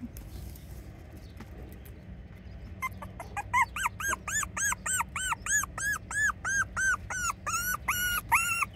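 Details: Miniature Schnauzer and Bichon Frise mix dog whining in a fast, steady series of high arched squeals, roughly three per second, starting after a quiet stretch and continuing to the end.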